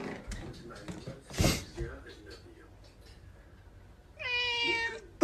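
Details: Domestic cat from a set of "talking" cats: soft rustling and a muffled thump, then one steady, even-pitched meow lasting under a second, followed by a sudden loud clatter at the end.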